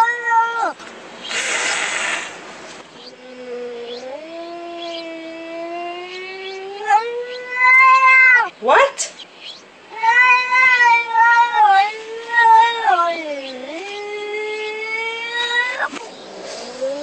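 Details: Cat at the door yowling: a brief breathy rasp near the start, then long moaning wails that slide upward and bend, broken by short gaps. The cries grow louder and more urgent toward the end.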